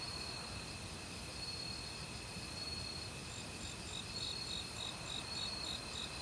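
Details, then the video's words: Autumn crickets in a forest alongside a valley stream, with various other insects: a steady high thin tone runs with broken trains of short high pulses, over the broad rushing hiss of flowing water. "가을 귀뚜라미 소리"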